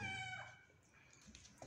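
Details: Mother cat with kittens, fed so she will nurse them, gives a short tonal meow at the very start, then quiet rustling and soft background sounds.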